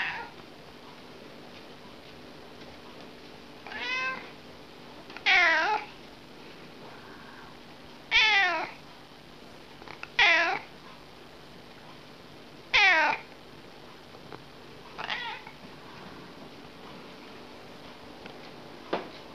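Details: A dreaming cat lets out soft drawn-out meows, each a falling then rising wavering cry, six or seven spaced a few seconds apart, in a quiet room.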